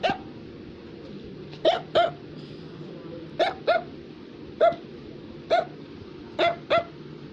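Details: Indoor barking from an Affenpinscher toy dog: clipped, high yaps mostly in quick doubles, about ten across seven seconds, with steady low background hum between them.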